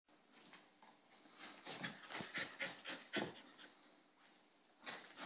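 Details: Two Bull Terrier puppy brothers play-fighting, the little one picking on the big one; fast, uneven breathy panting and harsh noisy huffs in a run of bursts through the middle, softer rustling around them, with a last short flurry at the end.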